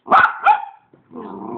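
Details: Pet puppy communicating at home: two short harmonic barks in quick succession, then a softer, lower drawn-out whine-like vocalisation after a brief pause.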